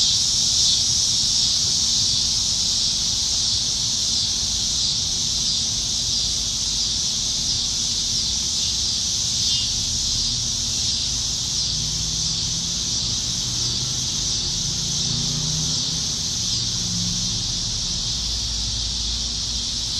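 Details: Cicadas singing high in the trees on a summer evening in Nebraska, July 2019, during the dog days when they are plentiful: a dense, continuous high buzzing drone with steady pulsing, faint low rumble underneath.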